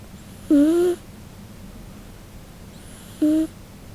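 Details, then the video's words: Nano-chan, a Scottish Fold cat, snoring in summer heat: two short, steady whistling tones with a faint rising edge, about two and a half seconds apart, separated by a quiet breathy hiss indoors. "いびきが可愛すぎる猫 【スコティッシュフォールド】 A cat whose snoring is too cute"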